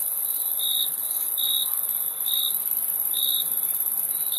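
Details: Chorus of crickets: clear, high, slightly stretched chirps spaced roughly every three-quarters of a second, set against an unbroken piercing high trill in the background.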